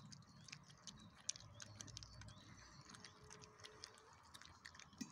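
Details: Chow Chow puppy eating its dinner, compared to an excavator: soft irregular crunching and clicking chews scattered over a few seconds, quiet overall, with a low background rumble.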